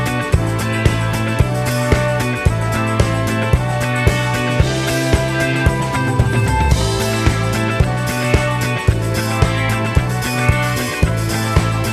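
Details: Upbeat guitar-driven background music with a steady beat plays throughout, with no animal sounds.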